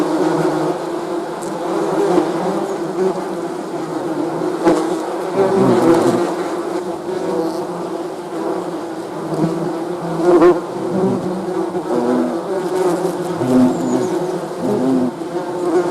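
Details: Continuous bee buzzing from a crowd of insects, a rich droning hum with occasional louder individual passes and brief soft taps.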